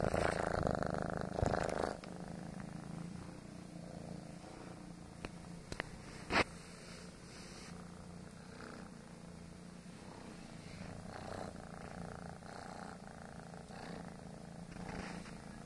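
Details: Male foster kitten purring while kneading: a deep, rapid, rattling purr pulses steadily, louder in the first two seconds, with a brief sharp click near the middle.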